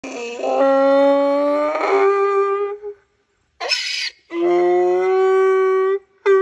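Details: Miniature donkey braying loudly: a long, sustained, tonal call of nearly three seconds, a short harsh breath-like burst, then another long steady note and the start of a third.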